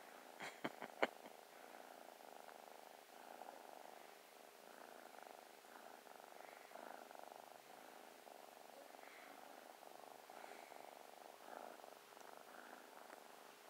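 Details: Playful young kitten cuddling and purring: a few sharp clicks at the start, then a steady rhythmic purr with light rustling continuing to the end.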